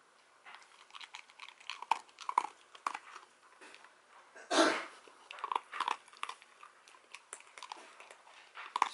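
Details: Dachshund eating Royal Canin dry kibble indoors, crisp crunching bites in quick irregular bursts, with one louder crunch near the middle, in a quiet small room.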